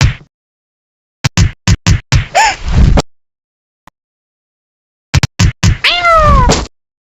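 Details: Ginger, a domestic cat, gives two drawn-out, wavering meows, the second longer and falling in pitch, amid a rapid series of sharp slapping clicks and brief silences.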